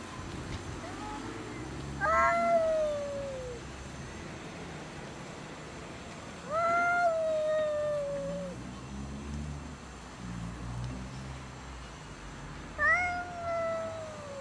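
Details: Angry cats fighting over food: three drawn-out harmonic yowls, each starting high and sliding slowly downward over one to two seconds, spaced several seconds apart over low background rumble.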